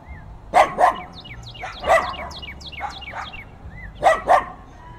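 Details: Fierce dog barking captured with binaural in-ear mics in heavy wind: three bursts of harsh, doubled barks spaced over five seconds, while a cardinal's series of quick descending whistled chirps fills the gaps.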